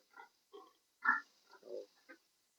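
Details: A sow that has not come into heat, given multivitamins, makes short nasal grunts and squeals, about six bursts over under three seconds, each brief and separated by quiet, in a small indoor space.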